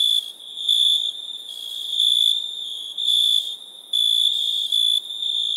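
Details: Crickets chirping at nighttime: a pure, high, ringing tone with faint overtones, delivered in buzzy bursts of about half a second separated by brief gaps, with no other sounds.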